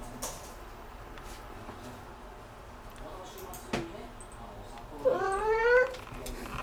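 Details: Domestic cat meowing noisily after discovering a bug: after mostly quiet seconds with faint clicks, one loud, drawn-out harmonic meow near the end swells upward and then slides down, followed by a brief softer sound.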